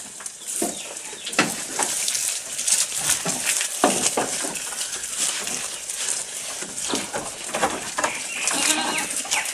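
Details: Close-up of a goat while eating, with rapid, crisp munching and tearing noises coming in irregular bursts over a continuous rustle of leaves or hay.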